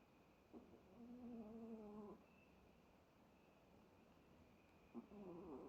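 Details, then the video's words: Pet Chihuahua Bono snoring in deep sleep: a steady, tonal, wheezy inhalation lasting about a second and a half, then a quiet pause, and a second snore that begins and is cut off at the end. "Chihuahua Bono in deep sleep. Snores over and over."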